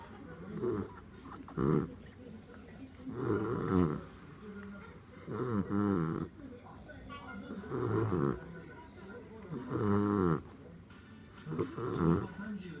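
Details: Boss, a pet bulldog, sleeping and snoring, a habit begun recently after none as a puppy; rough, rattling snores come in bursts about every two seconds, with quieter wheezy breaths between.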